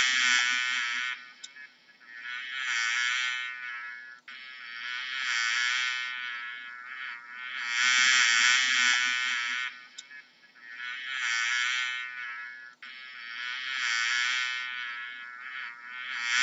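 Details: Buzzing bee with a rough, droning hum that rises in loudness and falls away in repeated waves roughly every three seconds; brief clicks mark some gaps, and nothing else is clearly heard.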